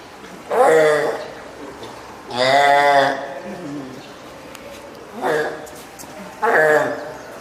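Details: Hand-reared female spotted seal pup, born 19 April, at Oga Aquarium, Japan, on 9 May 2017, calling loudly for its keeper, perhaps hungry or wanting onto land. Four drawn-out, harmonic wailing cries with short gaps between them, in a small indoor space.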